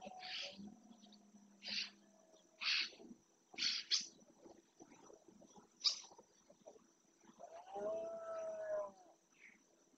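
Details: Rutting red deer in the marshland of Doñana National Park, Spain, where males roar to stake out territory. A hoarse, harmonic roar swells late in the stretch, preceded by repeated sharp bird calls and a steady high insect-like tone.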